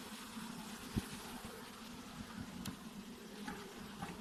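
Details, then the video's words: Low honey bee drone, steady and grainy, with a sharp thump near the first second and faint higher whines drifting in and out. "Honey Bees Sounds | Bees Sounds | Bee Buzzing Sound Effect | Honey bee Sound Effects"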